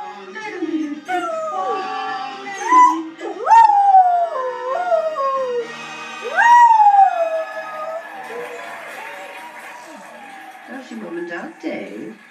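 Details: Border Collie sheepdog howling along to a television broadcast, long sliding wavering howls rising and falling, several drawn-out notes with gaps, television speech and music faintly underneath.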